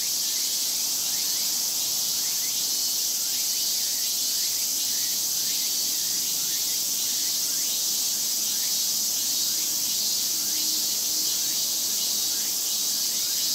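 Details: A big summer chorus of Japanese cicadas sings in a continuous high, shrill, hissing wash that never pauses, with faint rhythmic pulses rippling through the drone and a sharp steady whine above it.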